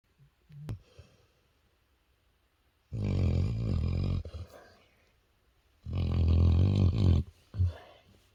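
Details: A dog napping and snoring loudly: two long, rough, low rumbling snores, each lasting over a second and spaced about three seconds apart, with a short snort after the second and quiet breathing between.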